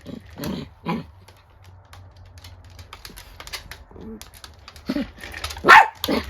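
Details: Indoor angry face-off between two female pet dogs, an elderly miniature dachshund born 2010 and a Chiwax (rabbit dachshund × Chihuahua mix) born 2020: two short sharp barks early, then a louder bark near the end, with quiet background hum.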